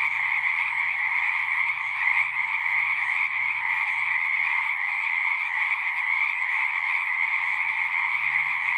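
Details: Frogs singing together at a horse-pasture pond, recorded on a Zoom 6; a thick, even wall of overlapping trills at two pitches runs throughout, with a soft low droning hum in the background.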